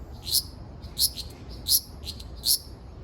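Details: Ryukyu large brown cicada recorded on Okinawa Island, Japan, on 17 June 2026: short, hissing, high-pitched bursts repeated roughly every 0.7 seconds over a quiet low background rumble.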